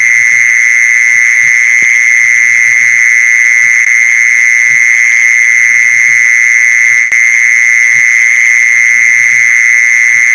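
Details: Mole cricket sound used to lure mole crickets: one continuous, unbroken high buzzing trill at steady loudness throughout, with faint soft low pulses underneath.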